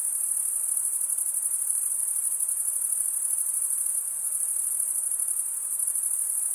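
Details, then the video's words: Wing-rubbing crickets produce an unbroken, high-pitched shimmering drone with faint pulsing texture, steady in loudness throughout, set against a low soft hiss and no other noticeable sounds. "cricket sound"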